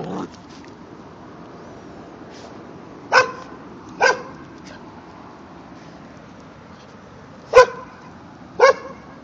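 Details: Barking during a face-off between a white Jindo pup, three months old, and the adult dog next door: four short, clipped barks at irregular gaps, separated by long quiet stretches.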